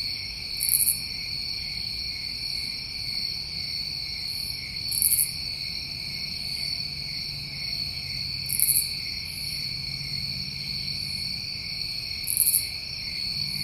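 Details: Steady high-pitched trilling from a chorus of New England summer crickets, with short, very high buzzy bursts recurring about every four seconds over the drone.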